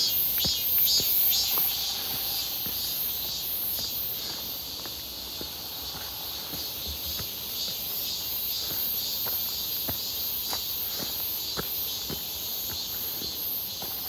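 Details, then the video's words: Midsummer cicada chorus near Seonbawi, 1 August 2023, clear and hot, heard while walking: an unbroken high, hissing whine with rhythmic shimmering pulses throughout, accompanied by evenly spaced footsteps and a brief faint tone early on. "부쩍 많아진 매미소리"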